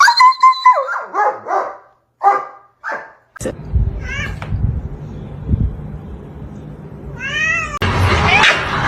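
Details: Domestic cats fighting: a quick run of short, harmonic, wavering meows for about three seconds, then an abrupt cut to low rumbling noise broken by a few brief rising wails.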